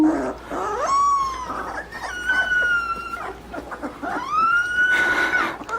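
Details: Puppy learning to howl: three drawn-out tonal howls, each rising then holding steady, the last climbing smoothly and sustained for over a second, over a noisy indoor background.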